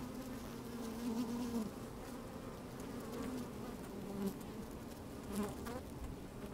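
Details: Honey bees moving about inside an open hive on a fine day with some wind: low continuous hum carrying short rising buzzes from individual bees, plus light crackles.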